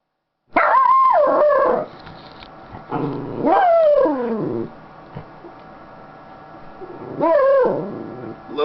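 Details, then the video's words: Maiya, a happy pet Schnauzer resting on her owner's lap, gives three drawn-out, tonal howl-like calls that rise then fall, each about a second long, with quieter murmured sounds between them. "Sounds of a happy Schnauzer part 2"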